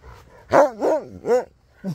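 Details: An old Siberian Husky making an amazing recovery vocalizes in three quick, rising-then-falling, yodel-like moans about a third of a second apart, with a fourth starting at the end, rich in harmonics and loud over a quiet room.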